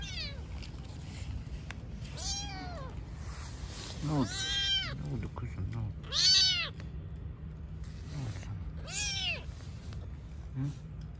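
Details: Street-living cats, a mother with newborn kittens: high, arched meows falling at the end, repeated roughly every two seconds, five in a row, over low traffic-like rumble and a person speaking nearby.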